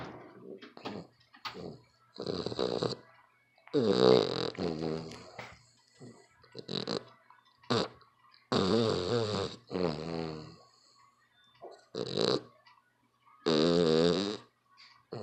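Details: A dog snores extremely loudly, with a long run of uneven, gravelly snorts and rasping breaths, some clipped and short, others drawn out for over a second, against a steady low hum.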